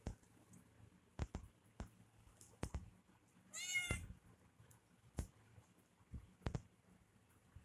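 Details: Kitten playing with a person indoors, giving one short harmonic meow midway, surrounded by sharp clicks and taps from play in a small room.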